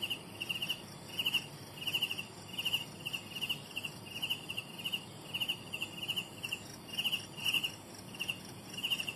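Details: Young crickets produce repeated shrill chirps in quick doublets and triplets, steady through the whole stretch, with a faint constant high insect drone behind.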